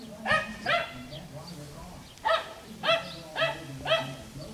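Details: Playing Schnoodle puppies, bred from a Miniature Schnauzer mother and Miniature Poodle father, on an Iowa farm. About six sharp, high, harmonic yelps come in pairs, each a quick rising-then-falling squeal, with a low hum beneath.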